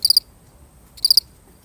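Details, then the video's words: A single lone cricket, recorded for real, gives two short chirps of about three quick high pulses each, roughly a second apart, over a quiet background. "The sound of one lonely cricket"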